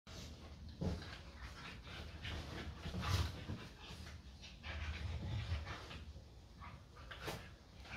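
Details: Staffordshire Bull Terrier play fighting with its best friend, an American Staffordshire Terrier, in a daily play fight; low rumbling growls swell and fade over several seconds, with huffing breaths and scuffling between them.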